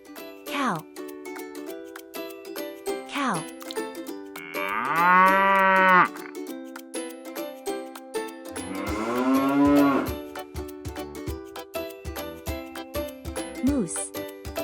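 A cow gives two long, deep, rich moos over a steady music bed.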